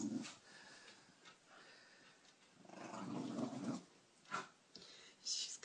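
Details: Cairn Terriers at play indoors, a pack of four: red Walter with wheaten Cordelia, Lily Beth and Chewy. Two rough, low growling bursts, one short at the start and a longer one near the middle, with a woman's chatter and faint background music.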